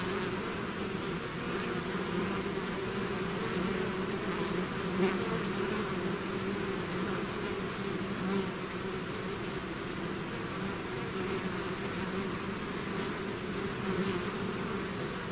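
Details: Steady buzzing of a bee swarm that has left its hive, a low layered drone holding level throughout, with faint flickers of individual wings crossing close now and then.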